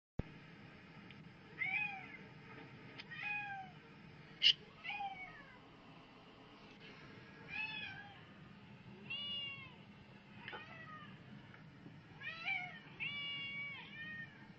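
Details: Domestic cat being wound up with cat videos; a long series of clear, tonal meows, each arching up then down, coming every one to two seconds, with some louder and more drawn out, and a sharp click at four seconds.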